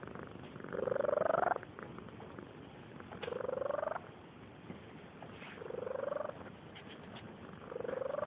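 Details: Barn cat asleep and snoring softly, four rising, nasal, rasping snores spaced about two seconds apart, with faint hiss between breaths.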